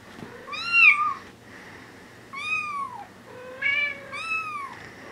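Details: Four-week-old Bengal kittens meowing indoors: four clear, rising-then-falling meows in quick succession, tonal and high-pitched with rich harmonics, the last two overlapping as more than one kitten calls, with quiet gaps between.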